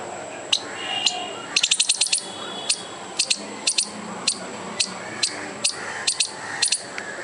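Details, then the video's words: Squirrel making a furious noise to scare off a dog and a person: sharp, dry clicking chips, some single, some in rapid bursts of four or five, scattered irregularly over seven seconds, with faint background hum. "squirrel trying to scare a dog and me by making furious noise"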